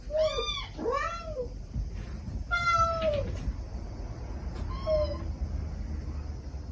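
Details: Stray mother cat calling her kittens gently while the kittens answer with sweet, pleading cries; several quick arched meows in a burst, then a longer falling meow and a short one later, with a low hum behind.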